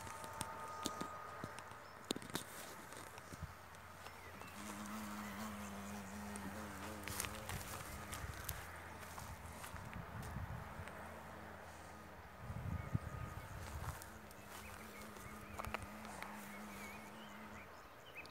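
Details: Japanese giant hornet invading a swarm-catching hive, slipping in through the entrance hole; a steady low droning wing buzz runs in two long stretches, mixed with footsteps, knocks, rustling and a man's voice.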